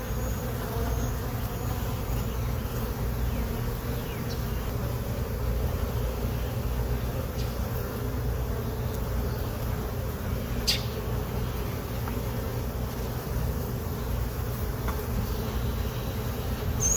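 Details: Honey bee colony that moved into a hive box on April 29, 2022, heard during a hive inspection while brood frames are checked; a steady, dense low hum with no break, with faint clicks of handling.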